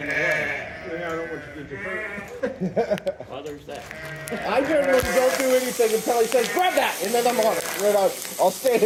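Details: Sheep during shearing giving repeated quavering bleats, loud and stacked with harmonics in the second half, over talking voices and background music.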